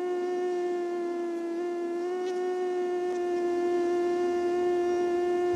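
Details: Female mosquito in a neuroscience experiment, wing-beat hum at about 400 per second; females are larger and need not beat their wings as fast. Continuous level drone with stacked overtones, unchanging in pitch for over five seconds.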